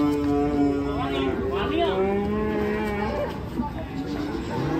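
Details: Cattle unloading from a truck in Indonesia, several overlapping long moos with rich harmonics, some sliding downward in pitch, sounding almost continuously against a dull background hum.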